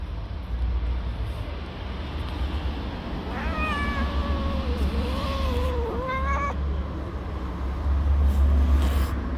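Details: Street-living tabby mother cat, angry at being touched near her kittens, gives a long drawn-out wavering yowl of about three seconds that rises at its end, over steady low traffic rumble.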